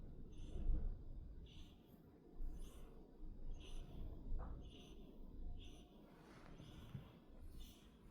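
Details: Sleeping kittens snoring indoors; soft, breathy snores repeat roughly every second, with faint hissy tones on each breath and a low room rumble underneath.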